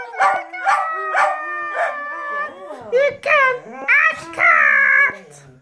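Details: Two dogs joining in with a song: quick repeated yips at the start, then wavering falling howls and a final high sustained wail.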